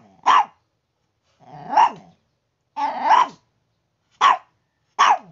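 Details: Noisy Chihuahua in the morning, acting as an alarm clock: five sharp barks at irregular intervals, some short and clipped, two longer and rougher with a growly edge, over a quiet background.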